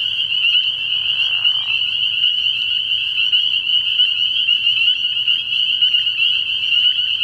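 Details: A night chorus of many spring peepers at a frog pond early in the year, their high piping peeps merging into a continuous shrill drone; a brief lower rasping sound appears in the first two seconds.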